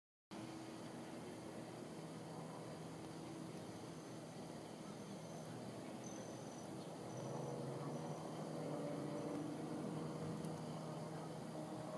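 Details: A steady outdoor rumble of traffic or machinery with a low hum; no clear animal voice stands out.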